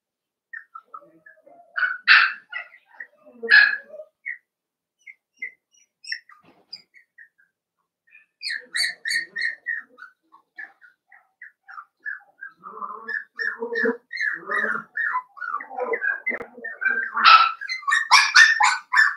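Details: Cavalier King Charles Spaniel puppies playing together in a home puppy pen, a busy stream of rapid squeaky yips, whines and little barks, growing denser and louder toward the end.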